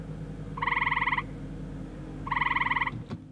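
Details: A male Eastern gray tree frog calls in spring breeding season in Iowa, giving two short, musical trills, each a rapid run of pulses lasting about half a second.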